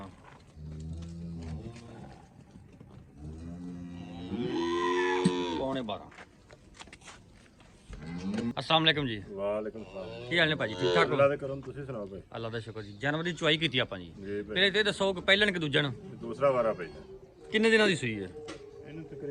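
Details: Cholistani Friesian cross cow in Pakistan: a low, drawn-out moo at the start, then a louder, longer bellow rising in pitch around five seconds, followed by a man talking over the rest.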